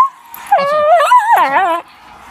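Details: A male miniature schnauzer gives a drawn-out, wavering whine, asking to be let outside to do his business, while a person repeats "outside".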